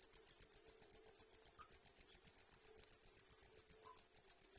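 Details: Cricket chirps, shrill and metallic, repeated at a brisk, even pace of roughly four pulses each second, with a faint low hum in the background.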